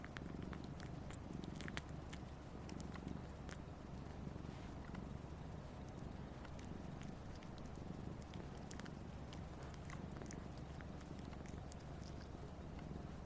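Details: A 1.5-year-old Siamese cat, abandoned as a newborn, purrs steadily in a low, continuous rumble while sucking its owner's finger, the only time it purrs; soft clicks and small wet sucking sounds come through.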